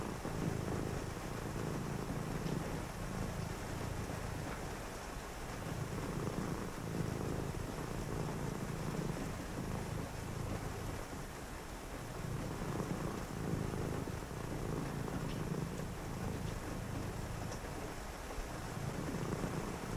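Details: Cat purring through a rainy night during quiet reading; deep throaty purr swelling and easing with each breath, roughly every three seconds, over constant rain patter.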